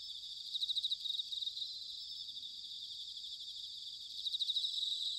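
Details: Bell crickets in autumn at Sanuki, Chiba, Japan, producing a steady high shimmering ring, with louder pulsed trill bursts near the start and again at the end over faint low background rumble.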